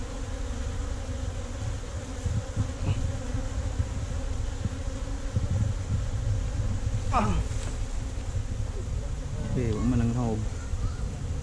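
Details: A colony of honey bees nesting in a hollow tree trunk buzzes steadily through a honey harvest, GoPro Hero5 Black recording; a dense low hum with brief human voices rising over it late on.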